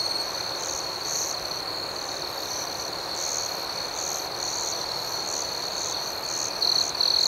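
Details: Night-time cricket chorus: a continuous high ringing tone beneath rhythmic, higher-pitched chirp pulses, closing with a louder, sharper trill in the last second.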